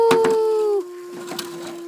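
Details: A gray wolf gives a smooth, sustained howl that slides gently downward in pitch.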